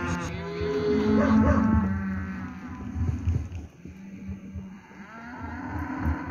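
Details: Steers of lot 17 at Lago Escondido lowing: a loud, deep, drawn-out moo in the first two seconds, then quieter overlapping lows from other animals in the herd.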